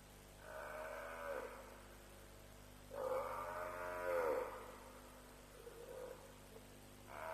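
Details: African buffalo bawling during a lions' kill at Djuma around 3:00am, 07/03/07, streamed live: loud, harmonic, groaning calls rising and falling in pitch, a brief quieter call, then another starting, over a low hum.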